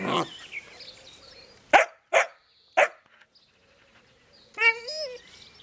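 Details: Young Jämthund Ida barks in play at an older dog that has the prized meat bone, vying for top rank; three short, evenly spaced barks followed by a drawn-out whine, faint birdsong behind.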